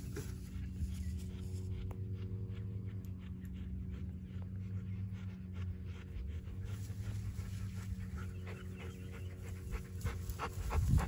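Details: Panting dog outdoors while Erie, a Great Pyrenees/Border Collie mix, is tied up after meeting Hannah the Yellow Labrador Retriever; quick, steady breathy puffs repeat throughout over a low rumble, growing louder toward the end.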